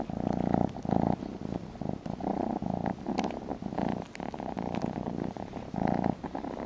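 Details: Male kitten indoors, snuggling a shawl and wanting a bottle, purrs continuously: a low buzzing rumble pulsing in breath-length bursts roughly every second, strong and close, with light rustling in between.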